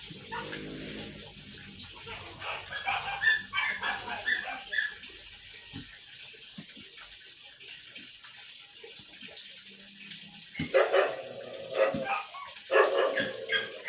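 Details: Siberian Husky arguing with a series of whining, yodel-like vocal bursts in two bouts, with a quiet gap between them, over background water and faint human voices.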